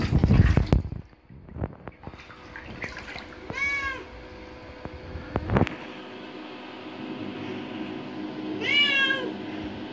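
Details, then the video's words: Curious adopted indoor cat aged five years eight months explores a bathroom and nearly falls into the bathtub; loud clatter and knocks first, then two distinct arched meows a few seconds apart over a steady hum. "Cat exploring the bathroom, almost falling in, licking and meowing"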